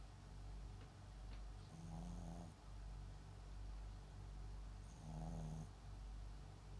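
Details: Soft snoring from MAX, a sleeping Papillon × Japanese Chin mix dog, rumbles low and steady indoors, two breaths carrying a higher nasal, whistling whine, with a faint click or two in the background.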